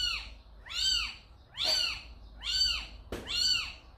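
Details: Steady run of five loud, arched meows, almost one per second, from a cat at a home where calico mother Samsaek carried a kitten inside; a brief tap sounds between the last two.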